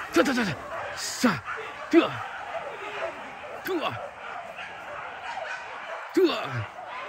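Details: Max, a young hunting dog on its first training outing at the PORBI hunt at Sungai Pingai, lets out separate loud barks roughly one to two seconds apart while people talk nearby.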